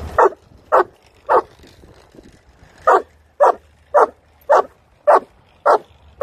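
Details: Boerboel named Shaka, a 16-month-old male puppy, during training in a busy public setting in New York; nine loud, deep barks come in two runs with a gap, roughly every half second, with a man praising the dog between them.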